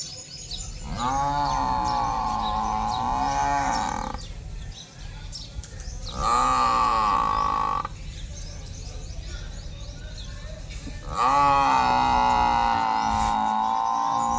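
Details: Buffalo giving three loud, drawn-out calls, each lasting about three seconds with a steady, strongly harmonic tone, separated by short gaps, over a constant background hiss.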